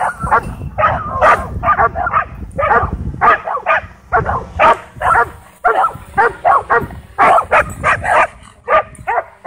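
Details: Frenzied dogs chasing a DJI Mavic 2 drone at a dog park give dense, rapid barking in overlapping bursts, with a faint steady high hum behind them.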